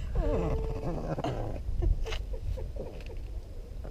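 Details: Charlie, a pet dog in a Christmas jumper, after guarding his Christmas hot dog: a short whine of rising and falling tones in the first second, followed by quieter snuffles and soft clicks, with faint voices nearby.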